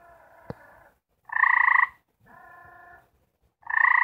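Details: Four gray treefrogs (Hyla versicolor) trying to mate give short, musical pulsed trills, one loud and one softer, as mating calls to attract a mate.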